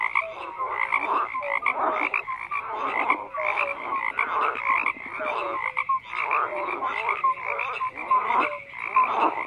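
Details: Dense chorus of croaking frogs, raspy bursts in quick succession with short tonal notes dropping in repeatedly, forming a thick, steady night-like wall of calls without other noise.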